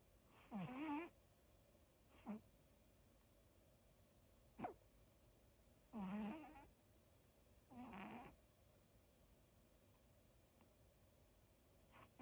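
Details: Pet dog Daifuku asleep and snoring: a run of wheezy, whistled breaths at irregular intervals, some long and grating, others short snorts, over a soft steady background hum.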